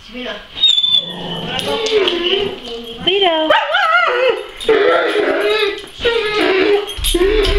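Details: A Weimaraner whines because it wants to go outside to bark at the neighbour's dogs through the fence. Long, wavering, rising and falling whimpers come in several bursts, with a person talking to it throughout.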